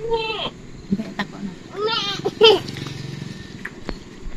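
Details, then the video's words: Goats being fed by a child, with a few short wavering bleats rising and falling, mixed with people talking, clicks and rustling in an outdoor setting. "BOCIL BETAH KASIH MAKAN KAMBING"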